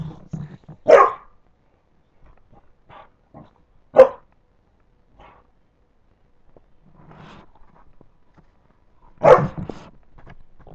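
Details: Puppies at play give three short, sharp barks spaced a few seconds apart, with soft scuffling and faint low grumbling sounds in the quiet gaps between them.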